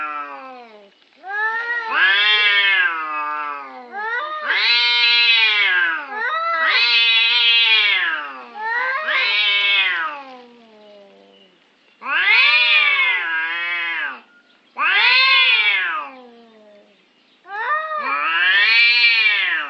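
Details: A parking-spot dispute between orange cats, heard as about seven loud, harsh, arching yowls in twenty seconds, each swelling up and falling away, with irregular pauses between them.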